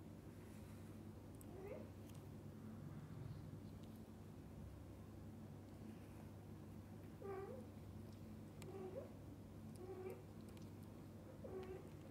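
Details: Domestic cat family of dad cat, mother cat and kittens together indoors; short, high harmonic meows spaced irregularly, a single call near two seconds then a run of four more in the second half, over a steady low hum.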